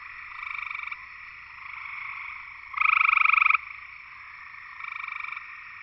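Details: Gray treefrog (Hyla versicolor) in Georgia, USA, giving a loud, musical trill lasting under a second, with fainter trills from other frogs around it.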